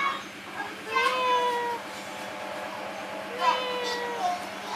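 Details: Two drawn-out kitten mews from sleepy kittens under a wooden hole, each a clear tonal cry that rises and then slides down, about two seconds apart, with a constant low hum underneath.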